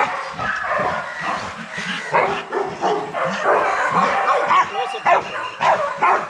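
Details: Several young Rottweilers barking in their kennel's exercise yard, a busy chorus of overlapping barks and yelps arriving roughly twice a second at an uneven pace.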